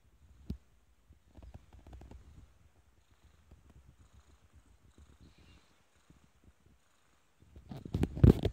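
A kitten purrs, a soft low rumbling pulse that comes in quiet waves.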